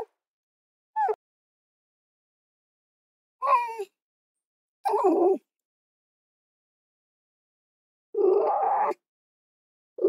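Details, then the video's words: Fox calling in scattered bursts: a brief thin yelp, then rougher, hoarse barking calls with a raspy, noisy texture, separated by a few seconds of silence. "Fox Soundscapes"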